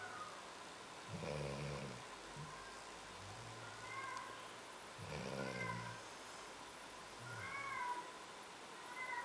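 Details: Snoring Labrador Retriever named Ziggy Marley, recorded in Rio Paranaíba, Minas Gerais; coarse, grumbling low snorts recur about every four seconds, alternating with quieter drawn-out droning breaths.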